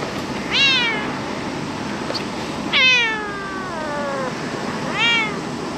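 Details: Stray cat in Japan, July 2023, calling three times: a short downward meow, a long drawn-out one that bends and trails off, then another brief falling meow, with gentle background hiss.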